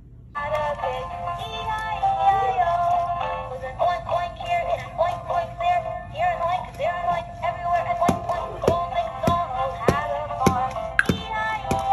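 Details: Sustained synthetic, sung-like musical tones fill the room, broken by a few sharp clicks near the end, with no clear animal voice.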